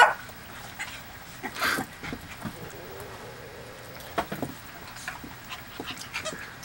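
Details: Two puppies, Foxy and Charlie, playing together indoors on 5/31/11: short high yips and soft whimpers scattered between scuffling and pawing noises, with quiet gaps and a brief louder burst near the start.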